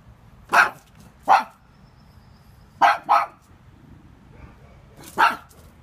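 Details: Small pug barking at intruders: five short, sharp barks in uneven bursts, a single bark, a quick double, then a lone final bark after a pause, over quiet low room rumble.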